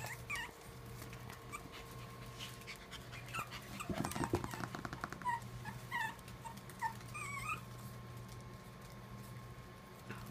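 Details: Black-and-white Pomeranian playing on the floor with its sister and mother, other dogs of the family: short, high, squeaky whimpers scattered through the second half, a burst of thumping scuffles near the middle, steady low electrical hum indoors.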